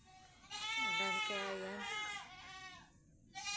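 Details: Farm-kept domestic goat tied up outdoors: one long, trembling bleat lasting over a second, with a person talking over it and faint music.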